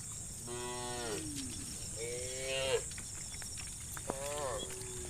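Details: Tame cows, part of a herd of dozens wandering across muddy rice fields toward fresh grass, give three mooing calls: drawn-out harmonic lows, the last rising abruptly, over a steady high-pitched background drone.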